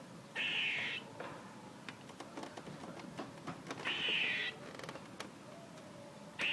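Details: Harsh buzzing squirrel calls, one early and one midway, each about half a second to a second long, with scattered soft tapping and clicking sounds in between and another call starting at the close.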